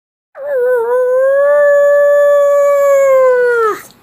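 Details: A pug gives one long, steady, loud howl lasting about three and a half seconds. The tone is pure and level, with a slight wobble at the start and a falling tail at the end, over a quiet background.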